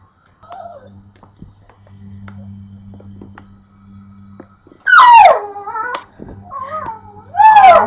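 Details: Pit bull making weird noises at a pet bird: two loud, drawn-out, wavering howl-like whines, each sliding down and bending back up, about two and a half seconds apart, after a quiet stretch with a low hum.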